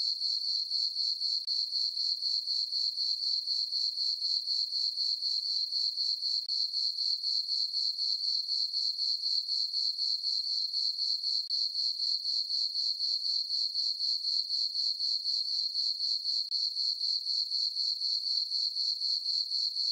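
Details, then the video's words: High-pitched cricket chorus on a peaceful summer night in a meadow on a farm under the full moon, pulsing steadily at roughly four beats a second without pause; nothing else audible. "Cricket chirping sounds for sleeping"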